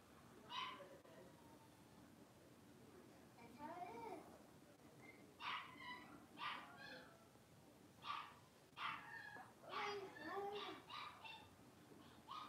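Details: Five blenheim Cavalier King Charles Spaniel puppies, born at New Year's, playing together in a home puppy pen at Red Barn Cavaliers; sharp high yips and short barks burst out in quick clusters of about a dozen, with a few whining squeals between.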